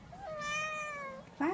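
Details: Traditional Siamese Thai kitten, one of two sisters in Chocolate point and Lynx Seal point, indoors; a single drawn-out, steady, slightly falling meow lasting about a second, followed by a person starting to speak in Italian.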